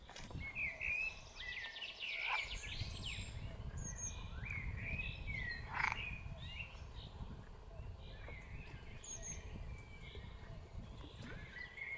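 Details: Green frogs (Pelophylax) calling at Lake Cerknica, Slovenia, on 15 May 2023; short croaking calls repeat in loose bursts, with birds chirping higher up and steady low background rumble.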